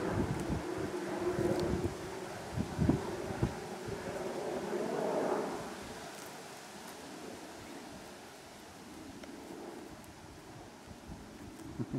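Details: Outdoors in the New Forest on England's south coast, wind rumble and rustling leaves mix with faint low murmurs, with no animal call standing out.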